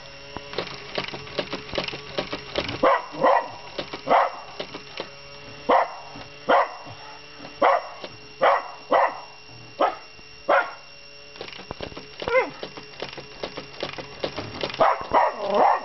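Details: Miniature Schnauzer, a normally quiet pet dog, barking at a Mr Money robot coin bank indoors: a long run of short sharp barks roughly every half second to second, with steady electrical hum and clatter behind.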